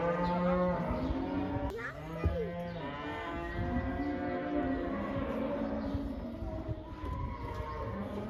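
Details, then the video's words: Cattle from a herd of about 80 turned outside for the first time, layered harmonic moos from several animals at once, a sharp bang near two seconds, then continued drawn-out lowing over steady background noise. "These cows are allowed to go outside for the first time! They love that!!"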